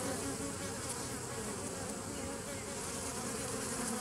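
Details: Bees from a 2017 nuc, recorded 27 September 2018: a dense, steady low hum with layered tones, unbroken throughout, under a faint hiss.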